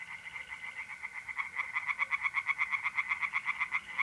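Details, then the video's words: Tree frogs chorusing at night in an April pond in north-east Italy, rhythmic croaking pulses growing louder after a soft start, repeated about four per second, with a faint mole cricket trill beneath. "relaxing singing tree frogs in pond and trilling mole crickets by night"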